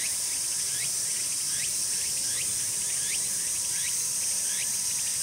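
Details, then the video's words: Tsukutsuku-boshi cicada song within its full calling sequence, start to finish: continuous shrill high-pitched buzzing with a repeated swooping, rising phrase recurring roughly every 0.7 seconds, steady throughout. "ツクツクボウシ 鳴き方"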